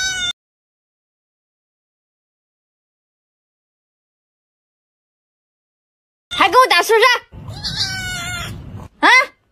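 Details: Domestic cat having its fur shaved, giving a brief high meow, then after a long silence a wavering, drawn-out complaining meow, a low rumbling stretch, and a final short rising meow.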